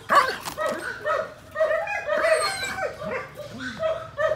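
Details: Eighteen-month-old semi-long-coated German Shepherd barking in uneven, overlapping bursts, with some barks blurring into a rough, continuous stretch of sound.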